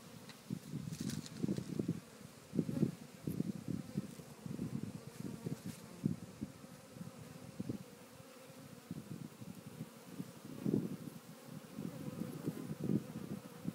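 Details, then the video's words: Grounded African honey bee swarm seeking its queen, building fake protection balls around her; loud, pulsing buzz that swells and fades in rapid bursts of passing wings, close to the recorder. "African Honey Bee Swarm on ground ~ Searching For the Queen"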